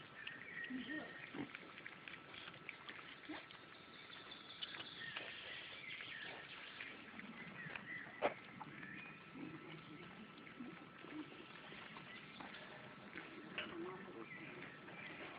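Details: Wild boar piglets being fed at the Wisentgehege Springe wildlife park give soft, low grunts and snuffles against a steady background hiss.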